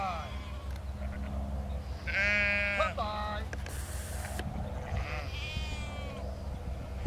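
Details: Sheep in a field being worked by Lars, a four-year-old border collie: two wavering, harmonic bleats, one near the start and a second midway, over steady low rumble and wind noise.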